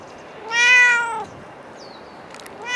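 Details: Cat at Dockyard Garden, recorded 28 November 2016 early morning: one loud, clear, slightly rising then falling meow lasting under a second, a faint high chirp, and the start of a second meow at the end.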